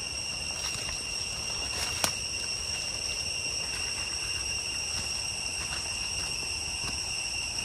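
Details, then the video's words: Cicadas in deep jungle along the way to Chhay Yong Waterfall, Areng area, Koh Kong Province, Cambodia: a steady, shrill, high-pitched drone with even overtones, unbroken throughout, with a sharp click near two seconds and faint rustling below. "Cicada sound in the deep jungle towards Chhay Yong Waterfall, Areng សំលេងរៃយំតាមផ្លួវទៅទឹកធ្លាក់ ឆាយ"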